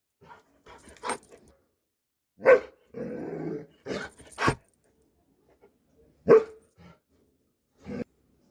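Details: Dobermann giving short, sharp barks in scattered bursts, with a rough, rumbling growl lasting about a second in between, then more single barks spaced a few seconds apart; otherwise quiet.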